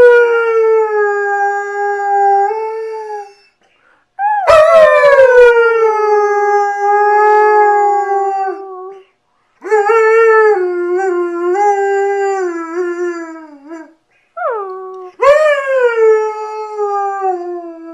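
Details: A female German Shepherd howls or "sings" on request in long, wavering tones, each starting with a sharp rise then sliding gently down, recorded 27 November 2010.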